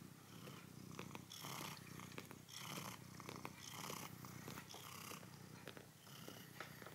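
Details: Continuous low purring from Tiger, a red house cat kneading a stuffed mammoth he enjoys, with rhythmic bursts of fabric rustling about once a second as his paws press the toy.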